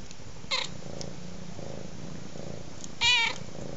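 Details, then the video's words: Domestic cat purring steadily in soft rhythmic pulses beside a crackling fire, giving a short faint chirp early on, then one loud, clear, slightly falling meow lasting about a third of a second near the end; occasional sharp fire crackles. "Cat meow & fire crackling"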